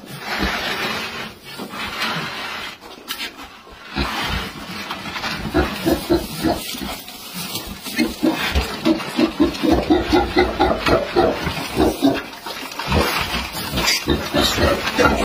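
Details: A wild boar piglet being caught with a basket, giving repeated squealing grunts and oinks that grow busier from about five seconds on, with rustling and handling noise throughout.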